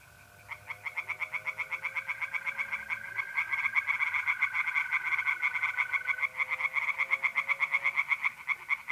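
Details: Night pond chorus of tree frogs in north-east Italy, mid-April: fast rattling croaks building into a dense continuous series, several callers overlapping, with mole crickets trilling steadily beneath.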